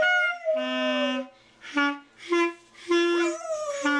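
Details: Boxer singing along to a clarinet: short clarinet notes alternate with the dog's tuneful, wavering howls that rise and dip in pitch, sometimes overlapping the instrument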